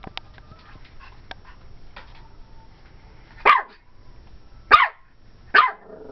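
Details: Ivory, a 12-week-old cream and white female Pomeranian puppy, barks at a Dora the Explorer doll looking at her from a closet; three sharp high yapping barks about a second apart after soft thumps of play.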